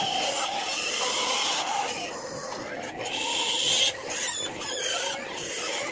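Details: Native pigs near a sow at feeding time on a backyard farm, squealing in high, shrill, sustained bursts mixed with grunting, rising louder toward the fourth second; faint talking in the background.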